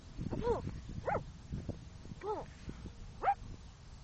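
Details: Apollo, a very playful and barky Shetland Sheepdog puppy filmed in 2014, gives four short high yipping barks roughly a second apart, over low rumbling noise and light rustling.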